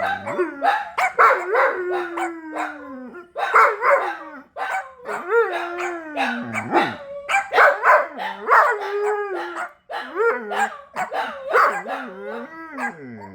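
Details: Dogs howling amid busier noise, mixing drawn-out wavering wails that bend downward with sharp yelps and barks in quick bursts, pausing briefly between rounds.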